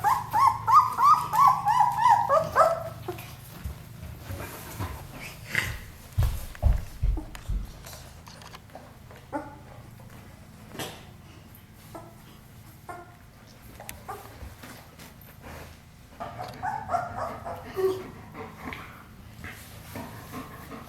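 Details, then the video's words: Ten-day-old German Shepherd puppies, litter of Ajla and Shaky, eyes just opening: bursts of quick rising-falling squeaky whimpers at the start and again near the end, with soft bumps and a low hum between. "Ajla & Shaky's Puppies 10 Days Old"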